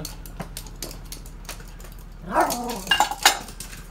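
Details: Two toy poodles romp with stuffed toys indoors at seven in the morning in their daily routine. Soft clicking and rattling give way to a burst of short, harmonic, yelping barks in the final second and a half.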